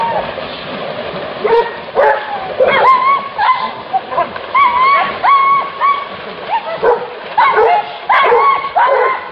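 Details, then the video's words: Hunting dogs confronting a wild boar during a hunt. Scattered high yelps and whining barks come in irregular bursts, some rising then falling in pitch, with gaps between calls. "anjing vs babi hutan"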